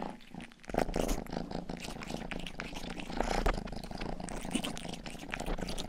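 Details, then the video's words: Purring from Rang-i, the youngest domestic cat of the household, recorded indoors for ASMR while grooming an ear microphone. A steady low throbbing purr rises after a quiet start, overlaid by scattered licking clicks. "ASMR 하는 고양이!(Purring & ear licking sound)"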